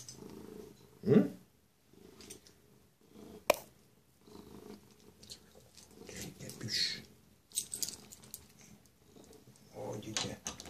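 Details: Pet cat Zlatan, happy and waiting to greet its owner arriving home, purrs in low pulsing bursts indoors, with brief pauses, one sharp knock and a few soft rustles.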